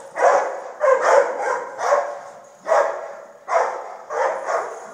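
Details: Steady barking from a dog, seven rough barks, some coming as quick doubles, each followed by a brief echoing fall-off.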